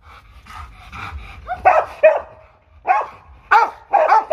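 A Rottweiler barks harshly in short, forceful bursts, sounding aggressive.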